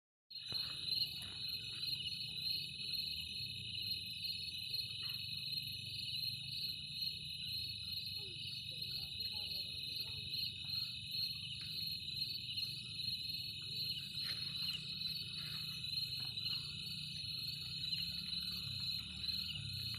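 A cricket gives a continuous, high, shrill trill that holds steady throughout.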